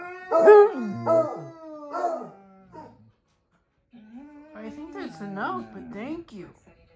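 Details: Several worked-up dogs howling together: long wavering, quavering howls that rise and fall, a second of near silence, then a renewed overlapping burst of yodeling howls.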